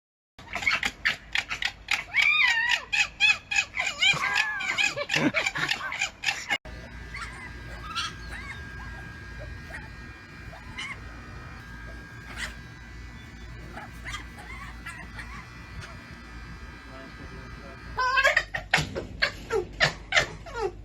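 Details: A very vocal pet male red fox gives rapid, harsh yelping and screaming calls in bursts, with a quieter stretch between, early in the day; he is chattiest when annoyed.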